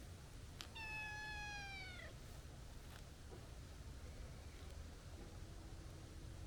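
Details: Stray tabby cat, chubby in build but with a kitten-like, childish voice, gives one drawn-out, high meow lasting over a second that drops in pitch at the end. Low background hum follows.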